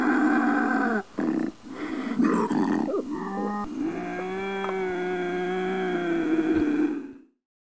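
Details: Bobcat howl used to repel raccoons and rodents: a continuous harsh, strained wail with strong layered overtones. It breaks briefly near the start, then holds steady for about seven seconds before fading out.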